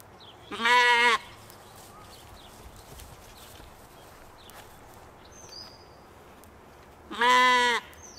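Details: Evening on a Michigan homestead as Katahdin sheep play: two clear, nasal bleats about six seconds apart, each under a second long, with faint chirps of small birds between them.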